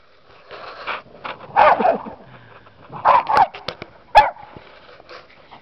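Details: Dogs barking out in the snow: several harsh, loud barks come in short clustered bursts about a second apart, with one sharp single bark near the end and quiet pauses between.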